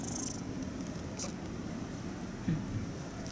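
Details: Stray kitten with cat flu, sneezing and runny nose, purring indoors; a steady low rumbling purr runs throughout, with a brief faint hiss of higher noise near the start.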